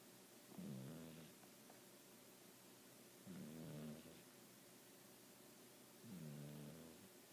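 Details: Sleeping house cat snoring steadily while propped on pillows; three rough, low, rattling snores spaced roughly every two and a half seconds, each a buzzy rumble under a second long, in a quiet indoor setting.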